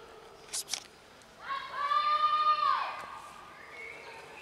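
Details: Cats crowded on a bench, including a black kitten. A single loud, long meow rises into a sustained, bright tone and then falls away at the end. It is preceded by two short clicking sounds.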